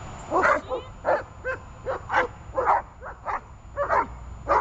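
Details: Runa, a dog being trained to hold and bark, barks loudly and repeatedly, about two barks a second, each a short harsh burst, some doubled, over a faint low hum.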